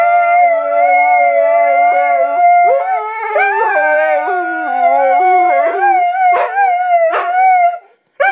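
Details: Indoors, a Siberian Husky sings in drawn-out howls, holding steady tones before wavering and dipping into lower, broken notes, then rising again; the sound cuts off abruptly near the end.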